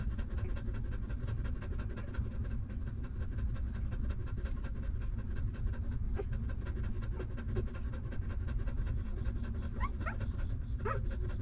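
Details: A stray mother dog's newborn puppies suckling milk, steady rapid clicking and smacking over low rumble, with a few short high whimpers near the end.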